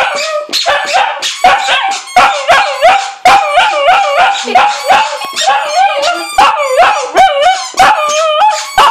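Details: A pet Lhasa Apso dog sings along with his squeaky toy bone, giving wavering, yodelling howl-like tones that rise and fall. Short, sharp squeaks from the toy come several times a second throughout.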